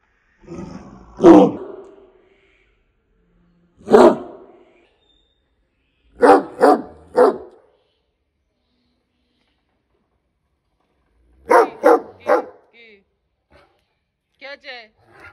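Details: Angry dog named Roni barking in short broadband bursts: one bark, a pause, another, then a quick pair, then a fast run of three, with a few faint yaps at the end and silence between.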